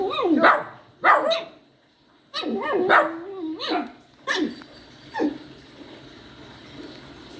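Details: Poodle puppy crying and yowling, with five separate bursts of high, bending whines and yelps. The first three come close together and the last two are shorter and fainter, with quiet gaps between them.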